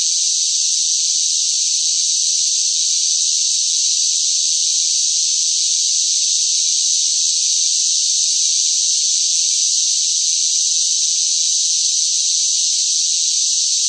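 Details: A steady wall of cicada song in summer heat: high, hissing, ceaseless buzz at constant volume, without breaks, rhythm changes or any other background sound.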